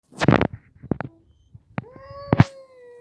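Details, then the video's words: Pet cat, one of the pair Mickey and a red cat, indoors. Several short loud thumps and scuffs come first, then a drawn-out, level meow with bright harmonics in the final second. "Funny sounds😁 MICKEY and the red cat"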